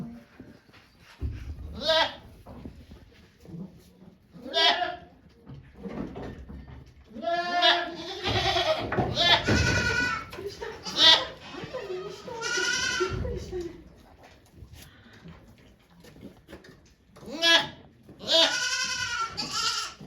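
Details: Goats on a Japanese farm, 3 May 2023, as a doe gives birth to two kids before volunteers; repeated quavering bleats, some short and some drawn out, with a cluster near the end and human voices between.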